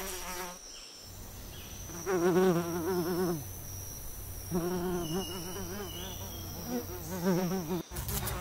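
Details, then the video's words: Fly buzz in distinct passes: a vibrating, wavering hum with strong overtones swells for about one to two seconds at a time, three main times, separated by quieter gaps over a low steady hum and a thin high tone. "Fly Sound, Fly Buzz Video"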